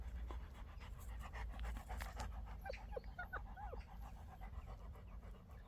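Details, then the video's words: Labrador Retriever puppy, a rescued stray once found crying in a drain, four months after adoption: rapid panting breaths, then a few short, high whimpers that rise and fall, with faint background noise. "배수로에 빠져 울고 있던 새끼 강아지"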